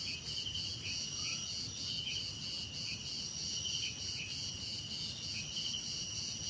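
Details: Cricket chorus with fast, evenly pulsed high chirps in one band over a continuous shrill drone, plus a low steady rumble in the background.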